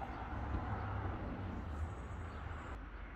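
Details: Broad outdoor rumble of vehicles or a passing train fills a garden, ending in a sudden cut, with no animal voices.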